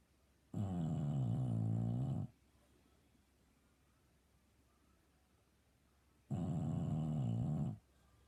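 An English Bulldog snores loudly, with long, deep, rattling rumbles separated by quiet pauses.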